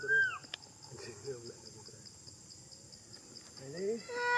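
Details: Crying from the monkey Big Bertha, with a loud, bending, high wail at the start, soft wavering whimpers in between, and a rising, strained cry building again at the end.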